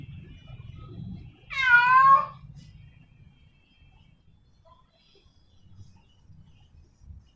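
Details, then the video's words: Female domestic cat in heat calling for a male: a single drawn-out, wavering meow lasting under a second, bending down in pitch at its end, then near silence over a faint low rumble. "Suara Kucing Betina Birahi Memanggil Pejantan"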